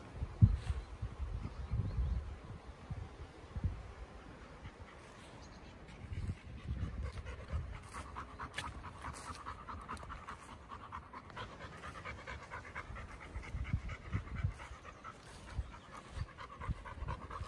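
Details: Chocolate Labrador Retriever named Bear panting on a Sunday morning walk under a cloudy sky, with cows nearby. Soft, irregular breathy huffs sit low and mix with steady outdoor rumble and wind-like noise.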